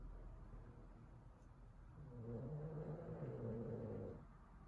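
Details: Exhausted Boston Terrier snoring indoors after destroying his teddy; quiet low rumbling breaths, then a louder buzzy, droning snore lasting about two seconds before fading back to soft breathing.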